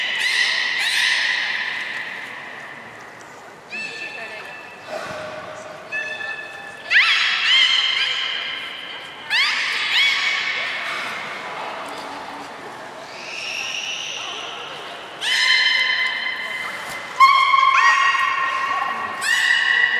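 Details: Beluga whales at Port of Nagoya Public Aquarium on 3 February 2019, during a feeding session and the play time that follows. A busy stream of high whistles, chirps and squeaky rising and falling calls overlaps almost continuously, with some background murmur.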